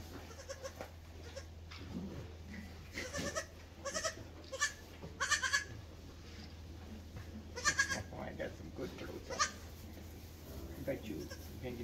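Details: Mini silky fainting goat kids just 36 hours old give short, quavering bleats while people talk softly nearby.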